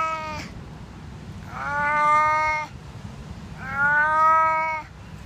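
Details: Loud drawn-out meows from a deaf domestic cat: a clipped call at the start, then two long harmonic wails of over a second each, about two seconds apart, over faint low hum.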